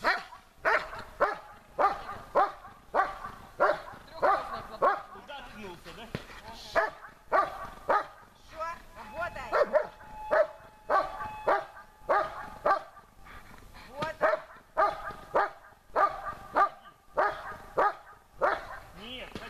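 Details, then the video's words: German Shepherd named Besser in protection training, barking at the helper and searching for him under harder conditions; loud, sharp barks repeated steadily about every half second in an unbroken series, with a faint steady tone running beneath part of it. "Бессер . облайка с усложнением"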